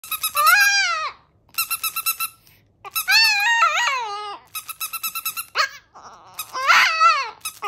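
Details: Chihuahua howling a song: long, wavering, rising-then-falling howls alternating with bursts of rapid pulsed, buzzy tones. The sound comes in several phrases with short silent gaps between them.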